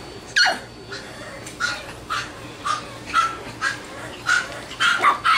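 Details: Bichon Frise puppies in Virginia Beach, Virginia, giving short, high yelping yips in a steady series, roughly two per second, each a brief bright burst, indoors with a faint background hum.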